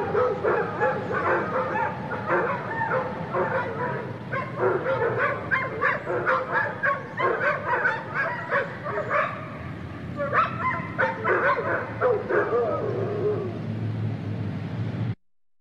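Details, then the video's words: Many kennel dogs in a shelter bark and howl together: dense, overlapping barks and yips pile up continuously with short howling notes, loud and steady throughout before stopping abruptly. "Canine Chorus: Kennel Dogs Barking and Howling"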